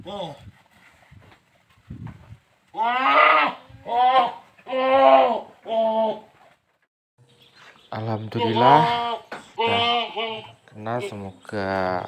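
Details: Big Boer goat and a young goat at mating on a village farm: after a quiet start, four strong quavering bleats about a second apart, a pause, then another burst of five shorter bleats, with human voices nearby.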